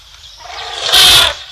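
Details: An excited elephant at Tembe Elephant Park, recorded October 3, 2025 at 12:45 PM, gives a sudden harsh, brassy blast lasting under half a second over a soft background hiss.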